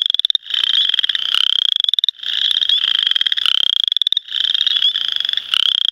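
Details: Western chorus frogs (Pseudacris triseriata) give rapid, rising pulsed trills, like a thumbnail run along a comb, during the 2010 mating season.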